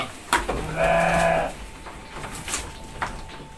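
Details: Penned goats at feeding time: one nasal, wavering bleat lasting under a second, with scattered clicks and soft background noise.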